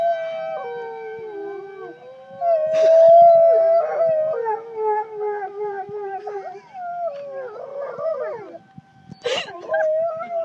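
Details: Two dogs, Colter and Diesel, howling in reaction to tornado sirens: long wavering howls that glide up and down and overlap, over a steady siren tone, with short bursts of human voice.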